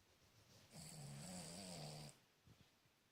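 A Cavalier King Charles Spaniel snores with a long, low, rumbling drone during sleep.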